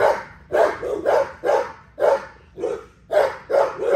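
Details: XL American Bully barking during exercise: about nine short, harsh barks in quick succession, some doubled, each a mid-pitched burst with a bright edge, gaps of roughly half a second between them.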